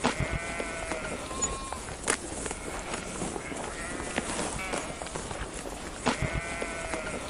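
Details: Sheep bleating in three quavering, harmonic bleats near the start, middle and end, each under a second long, over a steady rustling, noisy background.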